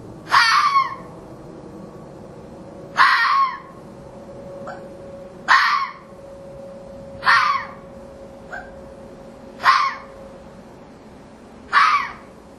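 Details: Orphaned red fox cubs in a pen, later released back to the wild, give loud hoarse screeching barks repeated roughly every two seconds, with faint short squeaks between them and a steady tonal hum underneath.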